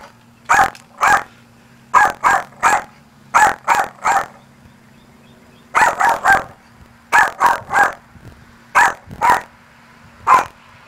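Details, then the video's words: Luci the Maltese yapping at her reflection in a church, thinking it another dog; rapid sharp barks in runs of two to four, pausing briefly between runs, against a low constant hum. "Cute Maltese Barks at Reflection at Church"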